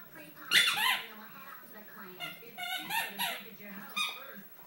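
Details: Great Dane puppy, a female about 8 or 9 weeks old, newly arrived home, indoors in a small room, giving short high squeaky yelps and whines in bursts; voices may be present.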